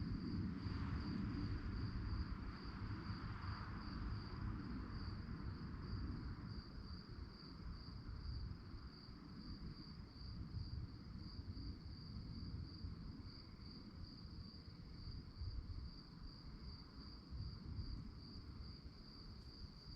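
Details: Night-time cricket chorus, an even, high-pitched pulsing chirp held without pause, with a heavy low rumble underneath that is slightly louder at the start.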